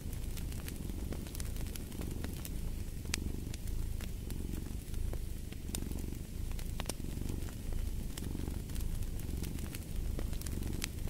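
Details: Low, pulsing purr of a cat, swelling with each breath, partly blended into the steady crackle and sharp snaps of a fireplace fire.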